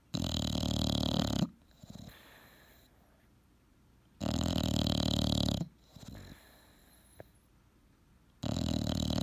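An English bulldog snores loudly, each rasping, rattling snore lasting over a second and returning about every four seconds.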